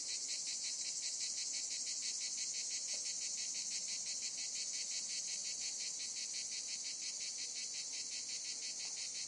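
A steady chorus of cicadas, a dense high-pitched buzz that pulses rapidly without pause.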